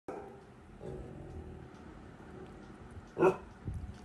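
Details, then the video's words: Labrador retriever puppy indoors, scared and barking at no one in the house; quiet room hum, then one sharp bark near the end followed by a softer sound. "Labrador puppy barking scared of Ghost"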